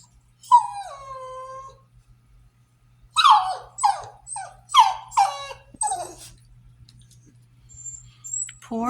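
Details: A French Bulldog kept indoors gives a drawn-out howl, then a string of yowling, grumbling protests, arguing to go outside while the kids play, after repeatedly slipping through the fence to chase the neighbour's horses.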